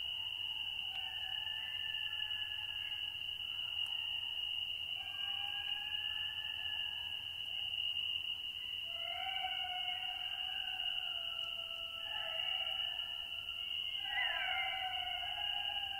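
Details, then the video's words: Golden jackal pack howling: several overlapping wavering, sliding howls layered at different pitches, rising and falling through the clip, over a steady high-pitched insect-like drone and faint low background hum. "GOLDEN JACKAL - HOWLING PACK"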